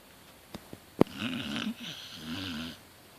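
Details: Sleeping pet Beagle, the king of the house, snoring indoors: a soft wheezy, raspy breath swelling and fading over about a second and a half, followed by a second softer rattling snore, with a few faint clicks before.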